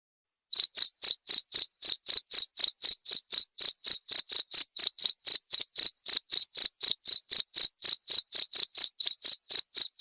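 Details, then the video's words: Clear cricket song used as training material for white-rumped shamas at night: sharp, ringing high chirps about four per second, evenly spaced after a brief silent start, with a clean, quiet background. "masteran suara jangkrik jernih!"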